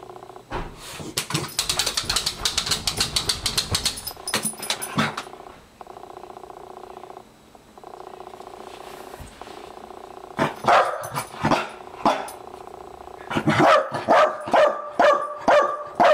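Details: Maggie, an 11-year-old Welsh Corgi, excited as her master comes home from work; a fast burst of sharp noisy sounds, then a steady mid-pitched tonal stretch, followed by clear barks repeated about twice a second.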